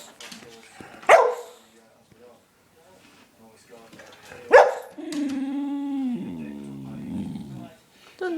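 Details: Lennox, a pet dog on a sugar high after stealing belVita biscuits, gives two sharp single barks a few seconds apart, then a long, wavering, moaning whine that bends up and down.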